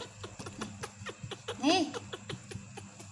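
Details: Baby monkey Dany calling her dad for comfort as she falls asleep: one short, sweet whining note that rises and falls with bright overtones, set among steady soft clicking and tapping.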